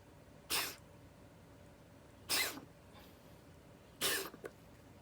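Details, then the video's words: Cat with asthma coughing, dated 2021-02-24: three short harsh broadband bursts about every 1.7 seconds, the last followed by a brief extra catch, over a quiet room background. "고양이 천식 기침"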